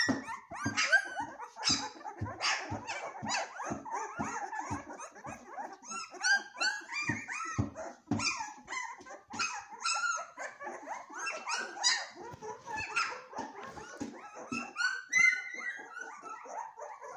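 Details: Several golden retriever puppies squabbling noisily: short rough grumbling bursts and sharp yelps repeated at a quick pace, mixed with high squeaky whines and squeals throughout.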